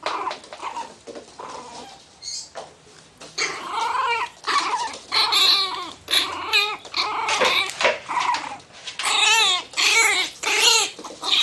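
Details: Guarding its box, a furious Miniature Pinscher growls in rapid quavering bursts, roughly one and a half per second, the snarls growing louder and more wobbling toward the end.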